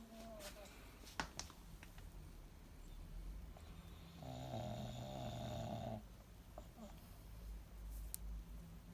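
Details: Monaka, a female pug kept indoors, sleeping deeply in her hiding place: a low, buzzing, fluttering snore lasting about two seconds mid-clip, between quieter breaths and a few small clicks and knocks.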